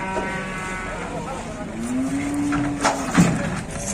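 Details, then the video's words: Fighting cattle at a busy Indonesian livestock market: a single level moo about a second long, partly under men talking and a few knocks. "Ada sapi gelut geger geden"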